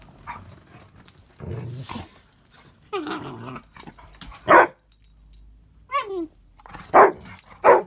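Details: A little rescue pup and a big dog playing indoors while it is wet and icy outside; low growling rumbles, a short high whine, then loud single barks near the end.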